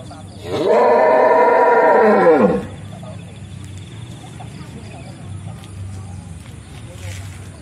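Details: Belgian Blue cattle, the pen's mascot bull at Usman Farm in Mijen, Semarang, Central Java, Indonesia: a single loud, low, harmonic moo of about two seconds that swells and then drops off, followed by quiet farm background and faint voices.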